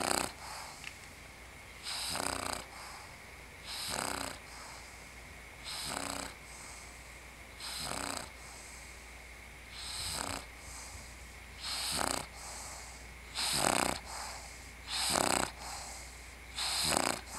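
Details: Worn out from playing with Mugsey the pug, the female Bulldog Scarlett snores steadily indoors. About nine rough, wheezy breaths recur every two seconds, each snore a short noisy rush.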